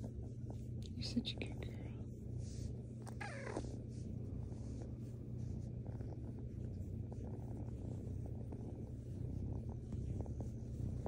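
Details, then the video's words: Female rescue kitten cuddling and purring: a continuous low rumbling purr underlies soft whispered human talk near the start, the purr holding steady throughout. "Big Purrs Little Meows"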